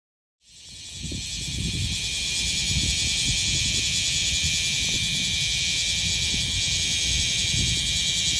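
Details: Bear cicada, Cryptotympana facialis, singing in Okinawa, Japan, in summer; a loud, steady, high metallic drone starts abruptly and holds without break, with a fast pulsing texture over faint low background rumble.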